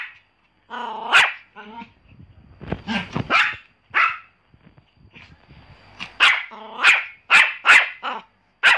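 A Pomeranian gives a run of shrill, high-pitched yaps, short and clipped, with a few softer whines between them. The barks come in uneven bursts, quickening toward the end.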